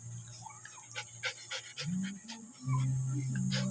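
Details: Jack Russell Terrier panting in quick, breathy bursts of roughly four per second, each a short soft rasp, over a steady low hum and a constant thin high whine; louder, fuller breathing in the last second.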